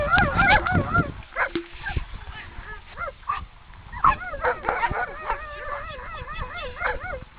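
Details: Borzoi sled dogs in the eastern mountains of South Korea, sledding: excited yips and barks, then wavering, warbling whines repeated in quick succession, mixed with human voices.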